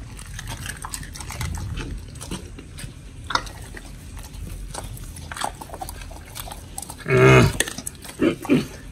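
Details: Oli and Nommy, pit bulls on a raw B.A.R.F.-style diet, eating fish and meat indoors. Sporadic crunches and wet mouth sounds, then a short loud tonal burst near the end followed by two smaller ones.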